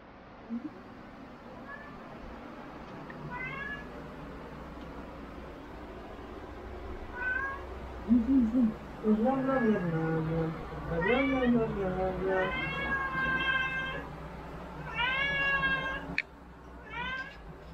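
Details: Domestic cat meowing indoors: a few faint short calls, then from midway a run of low chirping meows building into longer, higher, drawn-out meows with clear harmonics, over a steady low hum.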